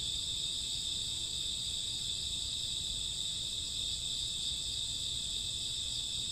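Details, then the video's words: Midnight chorus of crickets and grass insects, summer to autumn: a continuous high-pitched shimmering drone of overlapping chirps, steady in loudness, over faint low background hum. "Cricket sound 2 hours, summer autumn night grassworm lullaby"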